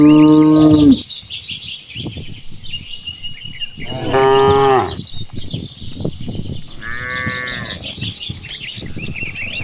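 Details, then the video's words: Herd of cows being led home along a rural village path after grazing on green grass; a long steady moo opens, followed by a second rising-falling moo and a shorter one, with small birds chirping throughout and no music. "the original sound of cows"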